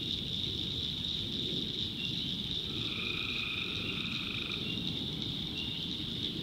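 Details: North Carolina swamp tree frogs calling at night: constant high-pitched trilling chorus, with one lower sustained buzzing call lasting about two seconds near the middle, above soft low background rumble.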